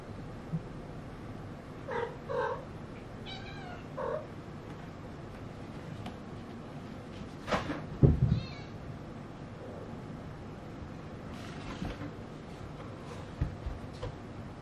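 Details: Maine Coon cats, including kittens, at a Tokyo breeding cattery on a peaceful Marine Day holiday: a few short, harmonic meows near the start and one more around the fourth second, amid soft knocks, rustles and low room hum.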